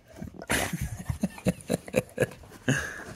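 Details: American Pit Bull Terrier named Zeus, playfully fighting his brother over a ball indoors; a series of short, low, rough growling grunts about once per second, with a person laughing and talking nearby.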